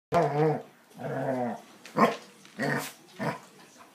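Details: Kouper, a male Basset Hound aged between four and seven, a rescue dog up for adoption, gives five drawn-out, deep, harmonic bays, each about half a second long, separated by brief pauses.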